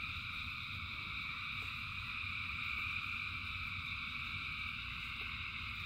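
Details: Frogs calling together during rain: a steady high shimmering trill chorus that never pauses, over continuous low rain noise with a few faint ticks of falling drops.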